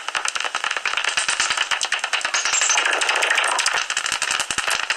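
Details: Common noctules (Nyctalus noctula) in a tree-hole roost near Ibbenbüren give social calls, dense rapid clicks and sharp squeaks, on 17 August 2019, 15 minutes before sunrise.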